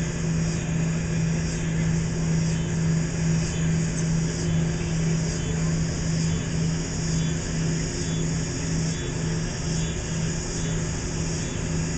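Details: Steady engine drone with a constant low hum and broadband motor noise throughout, and no barking or other animal voice.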